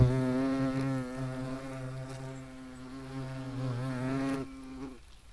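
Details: European hornet, Vespa crabro, recorded in nature; a loud low droning buzz with a steady fundamental and stacked harmonics, wavering slightly in pitch for about four and a half seconds before fading out.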